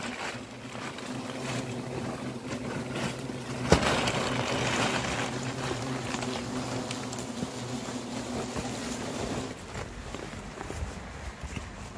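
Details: Outdoor wind rushes steadily across the microphone, with a low engine-like hum underneath and a sharp knock near the four-second mark; no animal voice stands out.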